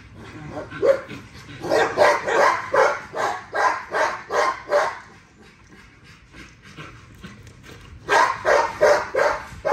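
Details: Female XL ghost tri American Bully exercising, giving bursts of rapid broadband barks about three per second, a quieter pause of soft yips midway, then another burst of barks.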